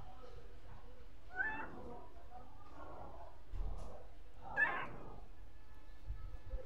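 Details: Stray street cat giving two brief, quiet meows about three seconds apart over a low, steady background hum.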